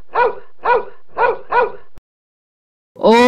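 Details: A dog giving four short, sharp barks in quick succession, about half a second apart. A pause follows, then a different, smooth tonal call begins at the very end.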